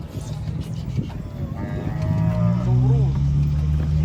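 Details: Enraged bull, horn broken, being unloaded from a truck: a drawn-out, deep lowing moo with rich harmonics and a wavering, falling tail, over steady low droning and a background of voices and music.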